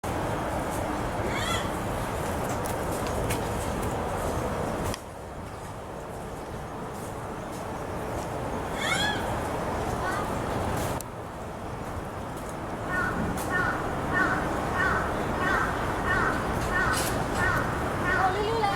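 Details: A black rhinoceros (Diceros bicornis) at Tennoji Zoo in Osaka, which squeaked for a long time, gives thin, high squeaks, some rising and falling like a whine, over steady background noise.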